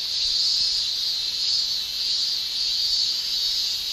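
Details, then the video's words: Summer chorus of male cicadas in Japan, made with the tymbal organ: an unbroken, piercing high shrill of even loudness with gentle waves in intensity. "Japan Summer Cicada Shrilling"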